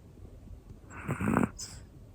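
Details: Hana-chan, a one-year-old black female Pomeranian, snoring while asleep: a single rasping, buzzy snore swells and fades over about half a second, with faint breathy rustle around it in a quiet room.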